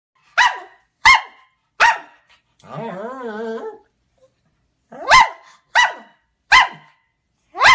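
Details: Pekingese dog barking: sharp, clipped barks, each about a second apart, in two bursts broken by a brief wavering, whining howl in the middle.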